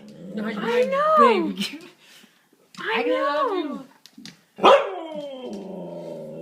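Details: A Siberian Husky greets a Marine owner returning home on 24 December 2012 with drawn-out, rising-and-falling whining howls.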